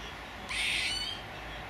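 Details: A single rasping, noisy squirrel call lasting about half a second, sharp at the start, over a faint steady hum.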